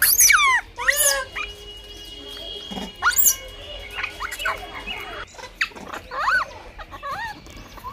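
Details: Blind baby monkey fighting for food: shrill, sharply descending squeals and screeches in bursts, loudest at the start and again after five seconds, with a steady high background tone throughout.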